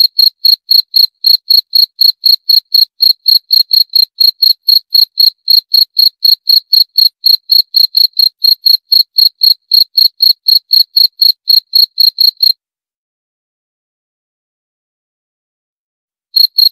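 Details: Rapid, evenly spaced high chirps from a cricket, roughly four each second, run for about twelve seconds, then stop in silence before a few more pulses resume at the end.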